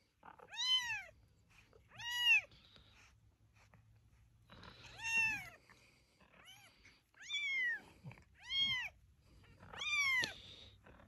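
Kittens give a string of high, thin meows, each rising then falling in a short arch.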